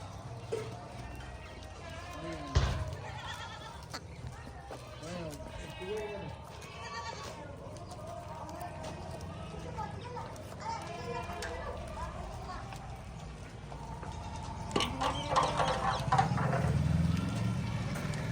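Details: Goats at a goat farm in India, with Sojat breed and pregnant females in a lot of 50; several wavering, quavering bleats overlap throughout, under steady speech and a low hum, with a sharp knock near the start.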